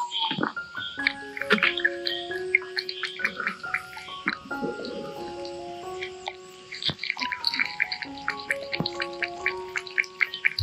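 Gentle melodic music with sustained tones and light percussive clicks; no animal voice comes through.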